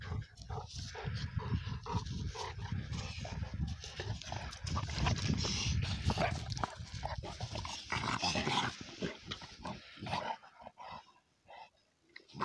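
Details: Cane Corso Italiano father and young dog, Conor and Bala, wrestling in play: continuous deep rumbling growls and snorts with rapid irregular scuffles, quieting near the end before a final burst.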